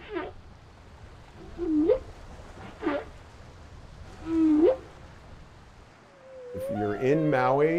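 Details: Humpback whale song, sung by males, heard while swimming off Maui at the height of whale season. Low moans sweep sharply upward, repeating every one to two seconds, then overlapping harmonic moans build at the end.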